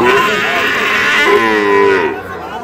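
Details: Sahiwal breed cattle at Ambari livestock market, Parbatipur, Dinajpur, Bangladesh, where fattened bull calves are sold, 11 July 2025. A drawn-out, harmonic moo with a steady tone, briefly broken and resumed near the middle, fading at the end, over faint crowd chatter.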